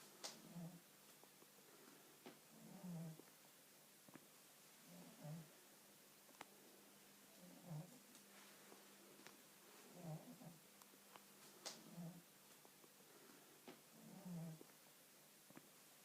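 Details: Sleeping cat snoring indoors, soft low rasping breaths repeating roughly every two and a half seconds, each swelling briefly, with faint clicks and a quiet steady hum between breaths.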